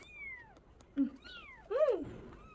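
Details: Himalayan cat kittens give thin high meows: a long falling mew, a short low squeak, a rising-falling mew, then a louder arched cry, indoors.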